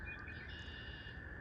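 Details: A distant chorus of spring peepers, tiny frogs at a pond, blends into a steady, high-pitched ringing over low outdoor rumble in spring.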